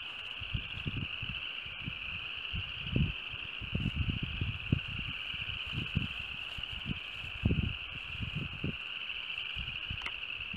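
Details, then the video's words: Spring frog chorus recorded in March 2015 on a sunny, breezy day after winter's end: an unbroken high-pitched trilling drone runs across the whole stretch while repeated low gusts of wind rumble and rustle beneath it. "frog voices"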